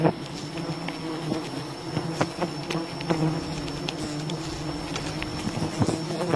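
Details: Buzzing of a wild bee colony as honey is gathered: continuous layered droning from a crowd of bees, broken by frequent short taps and crackles, with a thin steady high whine behind.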